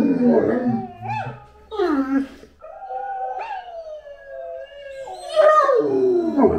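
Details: Anúbis the Great Dane gives short yelping notes, then a long, steady, slightly falling howl that ends in a louder, downward-sliding cry.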